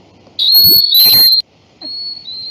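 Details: Whistling coquí (Eleutherodactylus cochranae) call: thin, high whistles, one long steady note and then a shorter one, used as a reference for frog acoustic-recording research.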